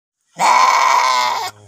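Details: Male sheep (ram) kept in a pen, giving one loud, steady bleat about a second long, a nasal, strongly harmonic tone that holds level and then cuts off abruptly, followed by a faint low hum.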